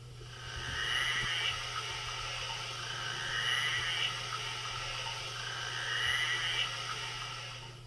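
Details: Narwhals recorded underwater from a glacier in Greenland in summer, at a narwhal summering ground: high, whinny-like whistles repeated about every two and a half seconds over a steady hum.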